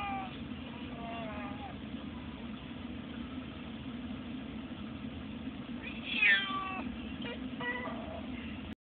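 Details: Pandora, a cat, unhappy in her carrier in a taxi on the way to the vet, gives several drawn-out, falling meows, one louder and higher near the end, over a constant low engine rumble with occasional human voice.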